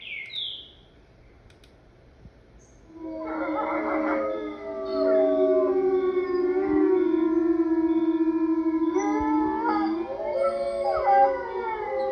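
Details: Wolf chorus: a brief bird chirp, then from about three seconds several howls overlap. Long, smooth, sustained notes slide and bend against one another, forming a steady, harmonising wail.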